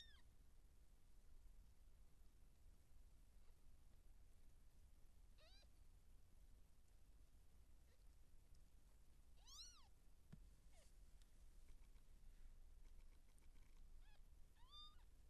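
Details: Seal point Siamese cat in labour, giving birth to kittens: four scattered high, arching mews with rich harmonics, spaced several seconds apart over a quiet background with low hum.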